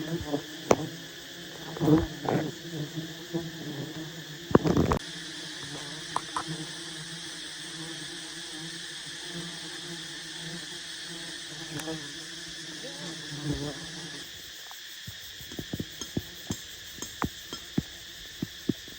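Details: Wild honey bees buzz around a giant nest as honey hunters approach and harvest it in Vietnam; a steady droning hum runs throughout, broken by sharp clicks and knocks, with a brief burst of louder rustling near the start.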